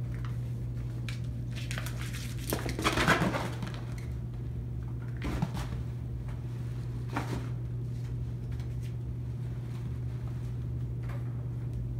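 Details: Clinking dishes and soft knocks in a small indoor room sit over a constant low electrical hum, with no animal voice.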